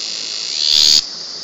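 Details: Cicada heard from very close, loud for its tiny body: a steady high-pitched buzz that swells into a brief, harsher surge before dropping back abruptly to the steady drone.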